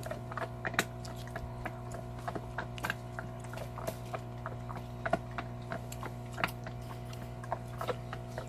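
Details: Belgian Malinois named Salta crunching on a cow bone, giving a busy run of dry ticking cracks and gritty crunches, with a continuous low-pitched hum underneath.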